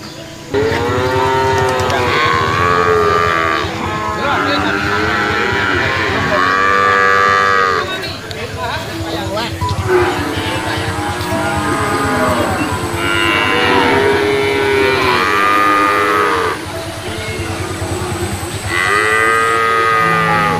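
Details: Brahman cattle, calves and young stock at a livestock market in 2022, giving long, loud harmonic moos, several overlapping and repeated through the clip, with background noise of the crowd and vehicles.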